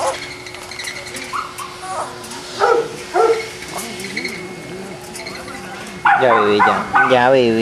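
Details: Boston Terriers at a kennel in Jamundí near Cali, Colombia: a few short, sharp barks early on, then a loud, drawn-out, wavering whine with rich harmonics near the end, over a steady background hum.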